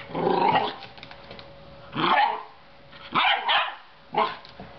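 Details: Belgian Shepherd Groenendael puppy Leo, on his first day exploring his new home and playing with a four-year-old child and a dangly spider cat toy, gives four loud, harsh barks mixed with growls, about one each second, over a faint steady hum.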